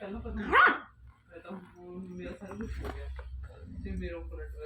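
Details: A 1.5-month-old Pomeranian puppy gives one sharp, high yip, followed by people talking.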